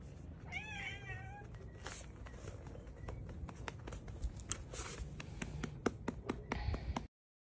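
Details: A baby cat from a funny cat compilation gives one short wavering meow early on, followed by scattered taps, clicks and a low room rumble.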